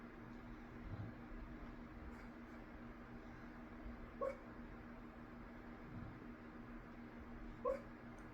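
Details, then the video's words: Female dog making noises while asleep indoors: two short, soft high whimpers about three seconds apart over a steady low household hum. "Girl dog making noises while sleeping."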